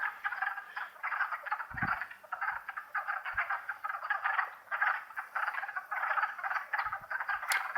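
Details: Wood frogs calling together on a warm spring day in April 2014 in Longkill Woods wetlands; countless short, raspy clucks pulse in overlapping waves, with occasional handling bumps and a brief click near the end.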